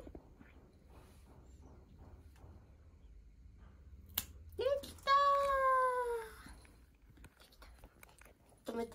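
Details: One of two pet cats indoors, protesting during claw clipping: a short rising note, then one long, drawn-out meow that slowly falls, plus a brief call at the end. Soft murmuring and faint handling noises sit in the background.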